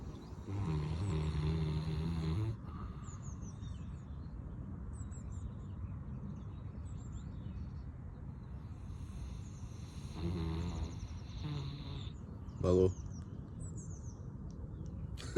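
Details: A Caucasian Shepherd Dog snores in the morning in deep, rasping, low rumbles separated by long quiet breaths.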